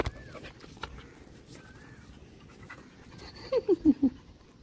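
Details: Dog, possibly a puppy, giving four short, falling whimpers in quick succession near the end, after a stretch of faint background noise with a few soft tones.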